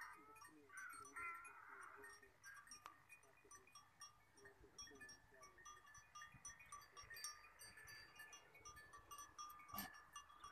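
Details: In the Thar Desert, a goat herd returns home from the forest in the evening. A wavering bleat sounds early, followed by continuous ringing bell tones, scattered clicks and a sharp thump near the end.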